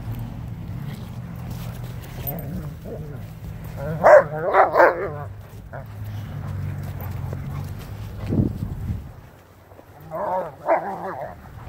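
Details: Dogs playing in a backyard: an 8-month-old Lycan Shepherd and an 8-month-old Renascence Bulldogge running and play-fighting with a Blue Bay Shepherd and a German Shepherd. A quick burst of three sharp barks, a lower growling yelp, then two more barks over a steady low hum.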